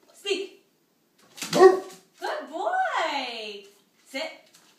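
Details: Badger, a Great Pyrenees, vocalizing when told to speak: one drawn-out, rising then falling woo-like call with rich overtones, between short spoken commands and a soft thump.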